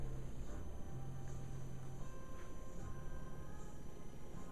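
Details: Soft background music over a low steady hum, without any barking or other animal sound.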